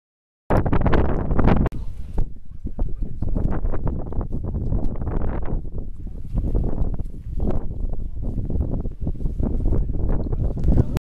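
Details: A southern elephant seal resting in Grytviken, an old whaling station on South Georgia, in April, gives deep, throaty, pulsing rumbles and belching grunts.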